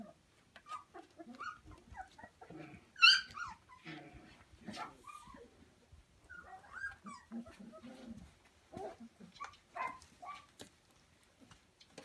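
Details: Samoyed puppies from one litter on Prince Edward Island, Canada, on 28 December 2015, playing together with a pool noodle: scattered high yips and squeals, a sharp yelp near three seconds, and low grumbling growls in between, with rustling scuffles.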